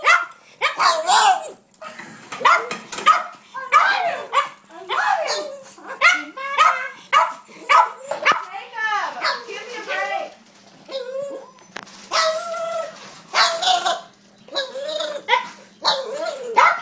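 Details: Pet dog making odd noises at feeding time: a near-continuous run of whining, yowling and bark-like sounds with wavering rising and falling pitch, broken by short pauses, close and loud.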